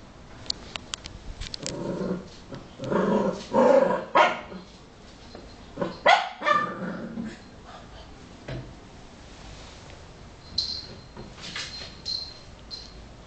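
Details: Patrick, a pet Cavalier King Charles Spaniel, trying to catch small pieces of a stress ball: a series of short, rough barks and growly bursts come in irregular clusters, with a person speaking Greek nearby.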